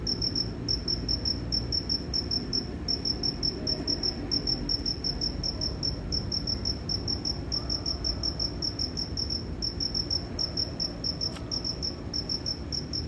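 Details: Crickets 'cri cri' chirping steadily for thirteen seconds: piercing high pulses in long, regular trains with tiny breaks, above a low murmur of background noise.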